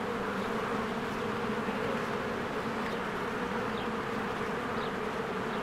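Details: Honeybees working at their cozy hive in spring, many flying in and out; a thick continuous drone with stacked humming tones, plus a few faint high chirps of birds near the end.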